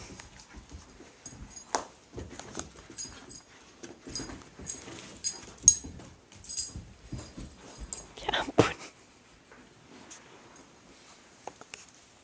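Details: Pet dog Mickey indoors playing with blacky, his favourite toy: scattered scuffling, sniffing and soft whimpering noises, with one louder broadband burst near the end and a person's brief speech in a small room.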